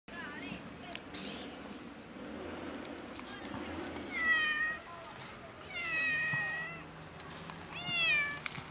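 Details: Domestic cat, described as sad, giving a few drawn-out harmonic meows, each bending slightly in pitch, spaced several seconds apart over a low murmur of background noise with occasional clicks.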